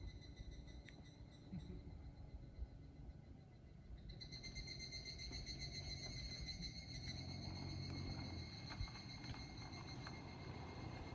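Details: Evening cicadas (higurashi), recorded in 2023, give a steady, ringing high-pitched call that swells louder partway through, over a low rumble.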